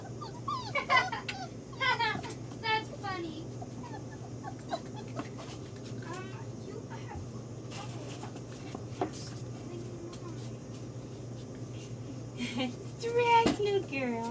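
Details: Five-week-old female AKC yellow Labrador puppy, Anabella, indoors: high, wavering whimpers and short yips in bursts near the start and again toward the end, with soft human speech in between and a steady low hum.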